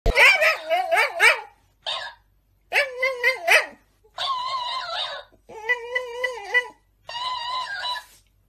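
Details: Dog "talking" in six drawn-out yowling whines, each about a second long with wavering, rising and falling pitch, separated by short silent pauses; the first bursts are choppier and more bark-like.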